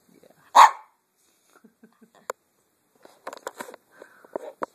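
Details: Casper, a pet Chihuahua urged to 'talk' indoors and recorded on an Android phone, gives one sharp, loud bark near the start, followed by soft clicks, small thumps and faint vocal sounds.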